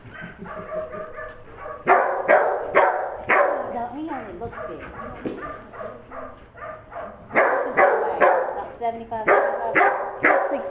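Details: Declan, a dog working sheep on 25 September 2011, barks repeatedly in uneven bursts while herding, mixed with excited yips and people talking in Spanish in the background.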